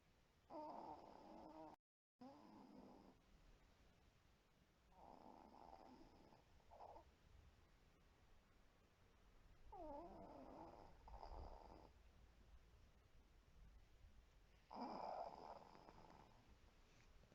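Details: Sleeping white Pomeranian, a small dog from a multi-dog home, gives rasping, rattling snores every few seconds. Some come as long double breaths and the last is the loudest. A soft background hiss fills the gaps.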